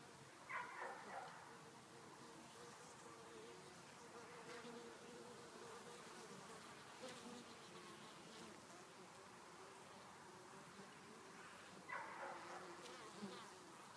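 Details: Honey bees in January, returning to the hive with pollen in winter; a steady mid-pitched hum of many wings throughout, with brief louder bursts near the start and around twelve seconds as bees pass close.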